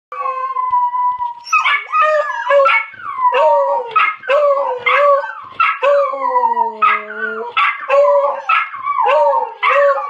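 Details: A miniature schnauzer and a beagle howl together in wavering, overlapping yodel-like notes after hearing a video of the schnauzer barking.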